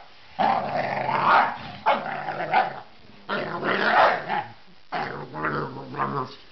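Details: A male basset hound, very vocal when he plays, gives deep, drawn-out grumbling growls in four separate bursts during play.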